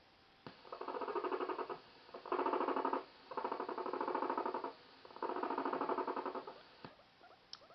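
A guinea pig gives a low, pulsing purr in four short bursts, a warning to stay away.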